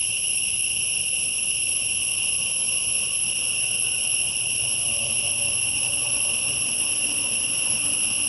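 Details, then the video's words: Forest insects keep up an even, high-pitched ringing drone of layered tones, with faint low murmuring sounds toward the end. "PEST SOUND IN FOREST"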